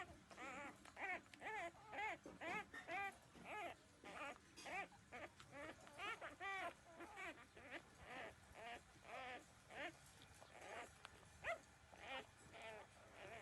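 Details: Newborn puppies, 13 days old, breastfeeding from their mother; a steady run of high, bending whines and squeals repeats about twice a second, overlapping cries from several pups.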